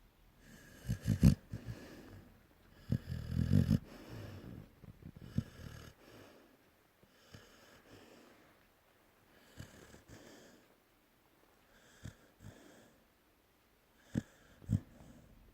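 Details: Pungsan dog named Pungsani snoring: irregular low, rasping breaths, several loud rattling snores early on, then softer, fainter snorts with quiet gaps between them, and a couple of sharp snorts near the end.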